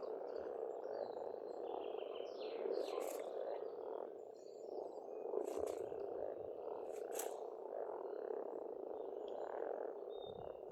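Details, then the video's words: Spring frog chorus at a pond on a farmstead in Estonia: a dense, continuous croaking drone, with birds singing high above it in short whistles and chirps and a few sharp calls near three, five and seven seconds. "пение птиц и лягушек"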